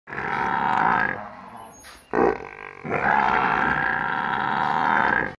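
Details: A buffalo at home in a village gives long, loud, droning bellows, one after another with only brief pauses.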